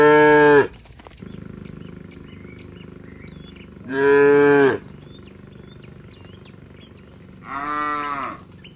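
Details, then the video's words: Tame herd of village cattle returning to their shed, calling to one another: three loud, long, harmonic moos, each under a second, about every four seconds, with small birds chirping between them. "Suara sapi Moo memanggil temannya"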